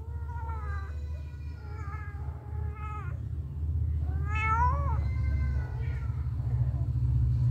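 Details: Mother cat tending and licking her kittens; a run of clear, harmonic kitten meows, several rising then falling, the loudest a sharp upward-bending cry midway, over a constant low rumble.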